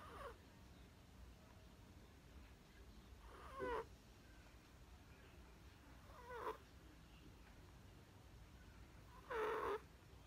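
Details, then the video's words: Chihuahua puppy named Perchik, fond of sleeping, snores again on 12 October 2020: short nasal snorts with faint whistling edges, spaced roughly three seconds apart, the last one loudest, against quiet indoor background. "Чихуахуа Перчик любит поспать и снова храпит"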